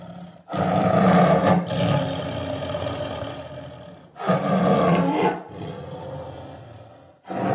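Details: Tiger delivering two long, throaty roars over a second each, separated by a few seconds of fading rumble, then a third roar starting at the very end.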